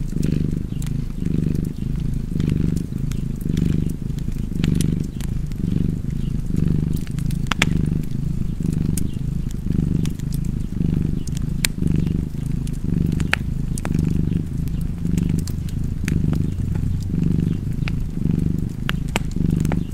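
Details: Domestic cat purring steadily and close, a low rumbling drone that swells and fades roughly once per second with each breath, accompanied by sharp crackles and pops from a fireplace.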